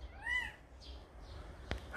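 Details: Calico cat Samsaek, a mother who carried her kitten to a house: one brief, thin arched meow at the start, then faint rustles and a sharp tap in a quiet room.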